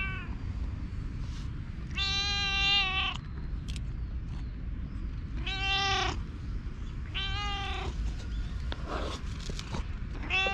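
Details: Community stray cat in a Japanese park, recorded with a GoPro, giving long plaintive meows roughly every two to four seconds, each about a second long with a rich harmonic, slightly falling tone, against constant low outdoor rumble.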